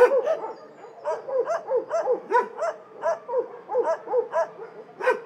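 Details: Shelter dogs barking together, short harsh barks repeated roughly every half second with overlapping yips from more than one dog.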